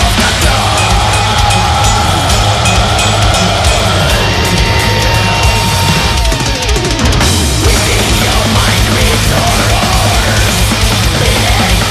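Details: Loud, driving music with a heavy drum kit and bass throughout, with no animal voice.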